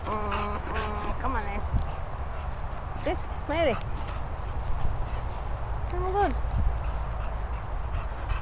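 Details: English Bulldog Moll the Doll and English Bull Terrier Bailey larking around at kennels in the Worcestershire countryside: several short, arching, whining yelps rise and fall, with a person talking and steady low rumble behind.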